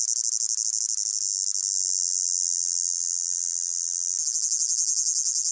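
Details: Crickets in a hot summer meadow fill the air with a steady, high, shimmering trill that pulses slightly toward the end.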